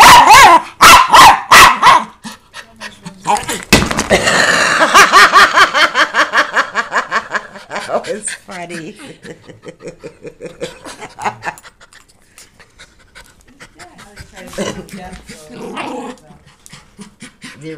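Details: A male Miniature Schnauzer fights a ringing bell and a toy bunny, giving a quick run of sharp, high, yelling barks as he keeps striking the bell, then a person talks over jingling.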